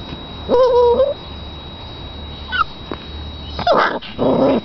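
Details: Puppy whimpering: a clear, steady high whine held for about half a second, then short rising squeaks and a later burst of whining, with quiet background hum between calls.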